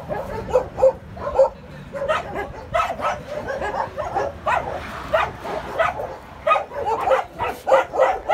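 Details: Puppies at play giving a steady run of short, high yips and small barks, overlapping and irregular, roughly one to two each second throughout, with no other clear sounds.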